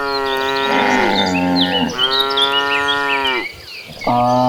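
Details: A herd of dozens of cattle walking toward a green pasture low in long, drawn-out moos, several overlapping voices with rich harmonic tones.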